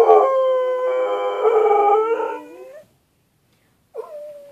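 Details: Mouse Wang, a pet dog, gives a steady, rich howl lasting nearly three seconds that bends slightly upward at the end, then a short silence and a fresh howl starts.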